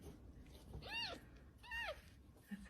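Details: Cats in a household where a mother cat has just accepted a little one; two short arched mews, the second falling at its end, under soft background noise and faint talk.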